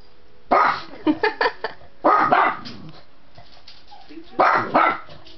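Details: A pug gives sharp, gruff barks in quick bursts, with brief pauses between volleys, barking at mammoths on a TV screen.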